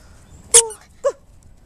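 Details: Dog practising bringing back a toy, indoors: a sharp high yip with falling overtones, then a shorter, lower yip about half a second later, over a quiet background.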